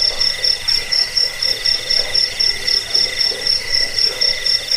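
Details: Crickets chirping, a track meant to scare away rats and serve as a bird-training master: bright, sharply pulsed high chirps in quick bursts, backed by fainter lower trills.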